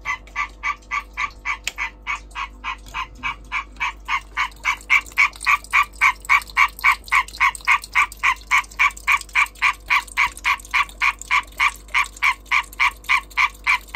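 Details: European green tree frog calling during breeding: a fast, very regular train of loud, harsh, nasal knocks, about three and a half per second, sustained for the whole stretch with no other clear sounds.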